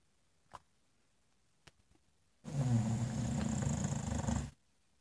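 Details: An English Bulldog snoring in front of a fireplace: one rough, rumbling inhaled snore lasting about two seconds, heavy in low tones, after near silence broken by a few faint clicks.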